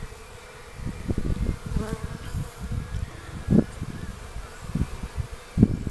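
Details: Western honey bees flying in a cloud around their hive on a warm, spring-like day, March 11, 2015, after dragging dead bees out; low droning buzz with bees passing close to the microphone, plus thumps and rustling.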